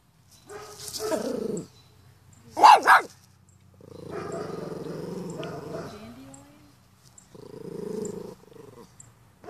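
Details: Pomeranian dog meeting a dandelion for the first time: a short rough vocal burst, then a quick double bark, followed by two sustained low growls with silence between them.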